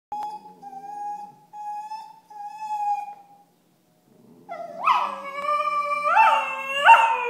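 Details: Six-month-old Tibetan Terrier puppies, Alfie and Belle, squabbling as Alfie complains and Belle objects: a long steady high whine, a short pause, then rising yelping cries with bent, wavering pitch.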